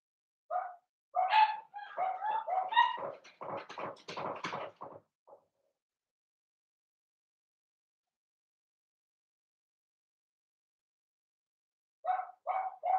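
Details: Seven-week-old blenheim Cavalier King Charles Spaniel puppies, one of a litter of five born on New Year's, in an indoor puppy pen: a five-second burst of rapid, overlapping yappy barks, a long quiet stretch, then a few more yips.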